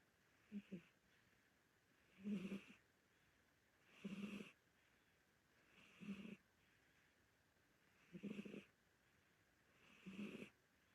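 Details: Older Korean Shorthair domestic cat asleep and snoring, steady rasping breaths about every two seconds, six snores in a row, the first split into a double catch, quiet indoor background.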